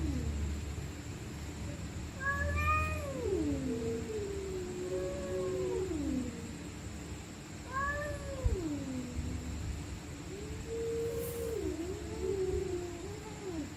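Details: Stray cats fighting at night, screaming and growling: long wavering yowls that rise and fall in pitch, overlapping into a drawn-out duet of moaning wails, over a steady low rumble and a faint constant high whine.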